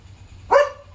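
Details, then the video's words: Leo, a German Shepherd, barks at night at home, alerting that another dog is outside; a single sharp, harmonic bark rises abruptly out of a low background hum. "Leo Knew There Was a Dog Outside! Smart German Shepherd"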